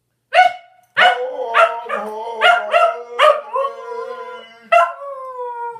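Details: Pet Scottish Terrier named Oliver 'singing' when asked to: a series of drawn-out howling yowls with rich harmonics, each rising then wavering, some held for over a second, with short breaks between notes in an indoor setting.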